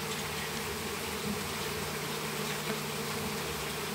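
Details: Honey bee swarm, Apis mellifera, flying during capture in a house backyard in Campo Grande, Brazil; even, dense humming buzz of many bees, steady for four seconds with slight swells.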